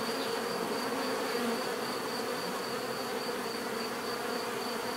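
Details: Steady bee buzzing for relaxation and sleep, many insects humming together in an unbroken, uniform drone with a faint high whine above.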